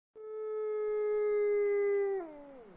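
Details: A captive-born male Arctic gray wolf at a wolf conservation centre in South Salem, New York, in snow, howls on one sustained, clear note for about two seconds, then slides smoothly down as it fades.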